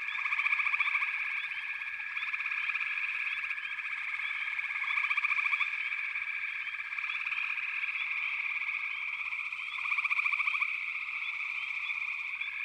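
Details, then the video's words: Frog chorus: a dense, unbroken wall of high ringing calls with short pulsed trills bursting through about every five seconds, the loudest near the start and again around ten seconds. "FROGS - Pig Frogs, Water Frogs, Backwater Chorus, & Frog Chorus"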